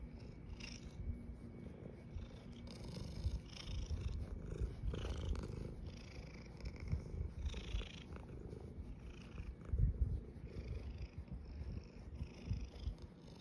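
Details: A female calico cat wearing a pink bow tie gives a loud thunder purr during her morning brushing: a steady, deep rumbling purr throughout, with soft scratchy brushing strokes on top.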